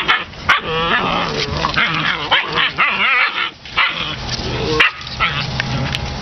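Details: Puppies playing together with their litter mates, October 2015: high, wavering yips and squeaky whines tumble over one another, broken by short rough barks and scuffling, with a steady hiss of background noise.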